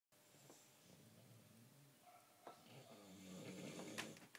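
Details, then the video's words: Mozart, a pet dog five days short of his first birthday, sleeping soundly indoors; soft low rasping snores rise and fall over a few seconds, with light clicks and a faint knock near the end. "Mozart Roncando"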